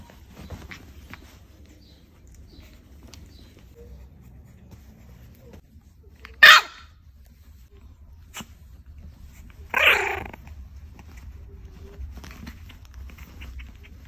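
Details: A grumpy two-month-old French Bulldog puppy plays for the first time on a couch, giving two sharp, isolated barks several seconds apart, the second longer and rougher, against a quiet room hum.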